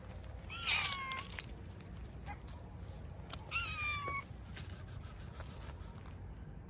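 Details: Outdoor stray cats being fed: two fairly faint meows, each with a falling tone, about three seconds apart, against background hiss and light clicking noises.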